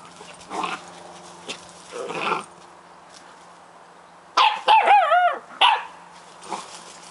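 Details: Scottish Terrier puppies playing: low growls first, then a burst of high wavering yelps and whines, followed by a few softer grumbles.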